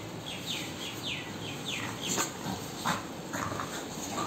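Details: Groza, an American Bully dog, at play: a run of high, thin whines sliding downward, about eight short yelps in quick succession with a few softer squeaks between, over a low indoor hiss.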